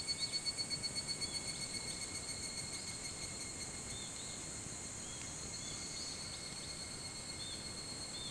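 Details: Higurashi, the evening cicada, heard at 4:30 a.m. on 28 July 2011 at Hitotsubashi University, Kunitachi, Tokyo. It opens with a loud, rapidly pulsing trill, about six beats a second, that fades away, leaving a continuous high-pitched insect drone and scattered bird chirps.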